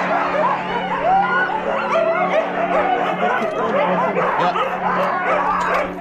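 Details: A kennel team of Siberian Husky sled dogs in Stonehaven, Aberdeenshire, Scotland, gives a dense, continuous chorus of high yelps, whines and barks. Many dogs call at once with no pause, sliding up and down in pitch.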